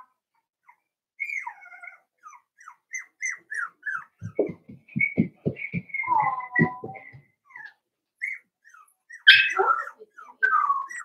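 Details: A litter of 4-week-old Cavalier King Charles Spaniel puppies in their pen gives a string of thin, high whimpers and squeaks over soft rhythmic thumps, then a louder wavering whine near the end.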